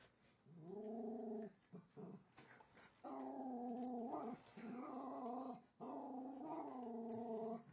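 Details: Female Jack Russell mix, about four and a half years old and rescued, growling at a toy train on a track below the Christmas tree during her first Christmas. Low steady growls come in three long bouts separated by brief pauses, with a faint human voice.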